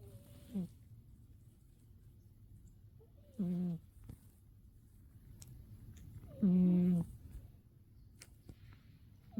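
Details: Umi the cat zonked out asleep in winter, giving short humming snores with a nasal, reedy tone. Three or four bursts arrive a few seconds apart, the third loudest, in a quiet room.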